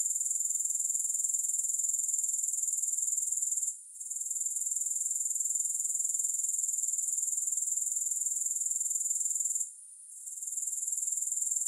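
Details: Continuous high-pitched pulsing buzz from grasshoppers, no music, dense and even, broken by two brief dips in loudness before the trill returns at full strength.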